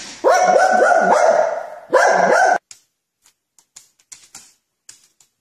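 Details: While playing with cars, a dog lets out quick, sharp, tonal yaps, a group of four followed by a pair, then scattered soft clicks and taps.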